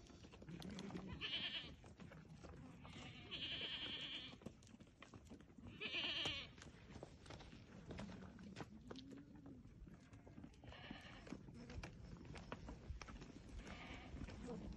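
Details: Awarid goats in a herd of about thirty with three young, bleating in short nasal bursts near 1, 3.5 and 6 seconds, with steady rustling and shuffling noise between calls.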